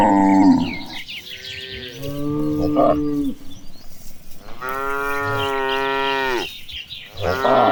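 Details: Herded cows walking toward green pasture give long, steady moos, each a rich droning tone held for a second or more, with a sharper bellow at the start and faint birdsong behind.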